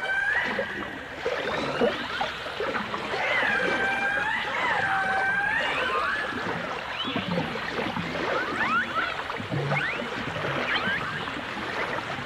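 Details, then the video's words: Underwater chorus of dolphins, from a 1989 dolphin and orca stereo recording: many overlapping wavering whistles, some looping up and down, others short rising sweeps, against a dense crackling and hissing water background. "The Enchanting Sounds Of Dolphin Song (Dolphins & Orcas) In Concert"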